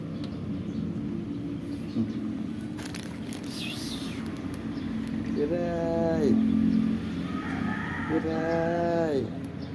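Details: Kiray the Persian cat and Shun the Siamese cat wait for their food: two drawn-out, tonal meows, each about a second long, holding steady then dropping at the end, separated by a short pause, over a background of voices and low rumble.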